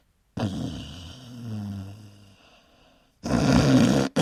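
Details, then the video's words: A dog asleep gives a drawn-out, droning snore with a faint rising whine inside it, fading off, then a sudden loud rasping snort. "snoring dogs - dogs snoring loud like humans"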